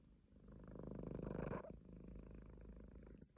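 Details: A sleeping Munchkin cat purrs with a steady, low, rumbling vibration.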